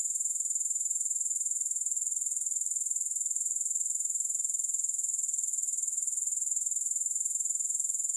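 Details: Continuous grasshopper buzzing, very high and hissy, made of fast regular pulses at constant volume from start to finish; no music or other noises.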